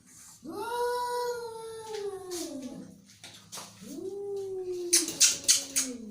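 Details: Angry cat making two long, steady, slowly falling growling yowls, then a burst of sharp hisses or spits at the end.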